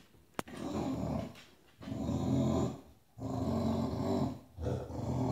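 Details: Bulldog growling on a bed to make the other dogs move over, a low, throaty rumbling growl in three long, sustained waves after a sharp click at the start, indoors.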